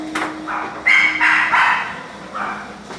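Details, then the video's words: Dogs barking: a quick run of short, harsh barks bunched in the middle second, followed by one softer bark, with a steady low hum running beneath. "Dogs Barking"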